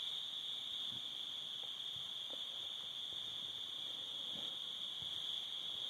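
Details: Crickets calling at a summer sunset by a cabin with a fire, a steady unbroken high-pitched trill holding one pitch throughout, with faint low crackles and pops underneath.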